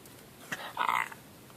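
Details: Buffy, a 16-year-old female miniature dachshund, getting vocal indoors about her belly rubs: one short, tonal, moaning whine of under half a second, with a woman's voice talking to her just before and after.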